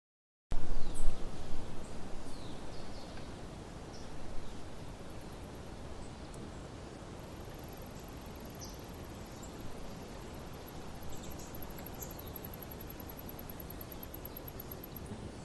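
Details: Singing mouse (Scotinomys teguina) trilling in real time: very high rapid note bursts, a short pause, then a long trill that grows louder and faster, over a steady low background hiss.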